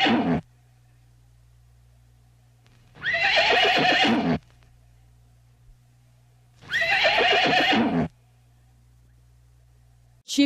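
A horse gives two long, shaking whinnies about four seconds apart, each loud and falling in pitch, over a low steady hum.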